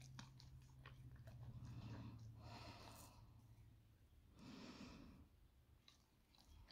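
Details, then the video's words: Moley, a male English Staffordshire Bull Terrier on a raw BARF diet, eats his breakfast of steak and spinach/liver crumble indoors; soft, rapid wet chewing and smacking with quick crunchy bites, a low hum underneath in a small room. "Beautiful English Staffy eating his breakfast."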